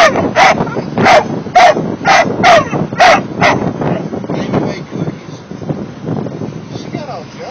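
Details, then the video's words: Mastiff puppies, sixteen weeks old, singing: a burst of sharp, rising yelps roughly every half second for about three seconds, then fading into softer, scattered whines and murmuring voices. "16 week old mastiff pups singing"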